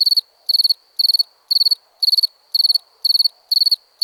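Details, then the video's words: A cricket chirps in a regular rhythm, each burst a rapid series of four or five shrill pulses, bursts spaced about half a second apart against near silence. "Cricket sound"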